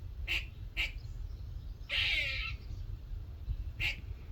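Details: Small squirrel calling in a workshop one morning, as if having a chat: short sharp chirps near the start and end, a longer harsher burst mid-clip, with low steady rumbling background noise.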